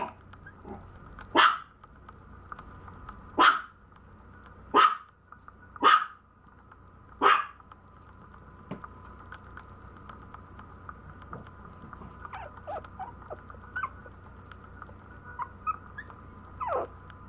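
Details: Maltese puppy yapping five times in the first half, roughly one bark every second or two, then quieter with faint squeaky sounds and a last soft bark.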